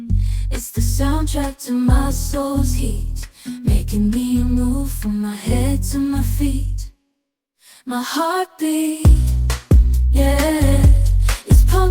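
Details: A pop song with singing and a steady beat fills the whole stretch, broken by a brief silence midway.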